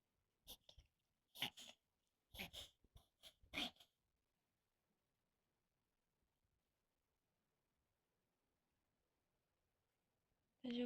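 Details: Poodle having a reverse sneeze, which happens now and then and is said to be common in poodles: a burst of harsh, noisy snorting gasps over about four seconds, then quiet, with a brief noise at the end.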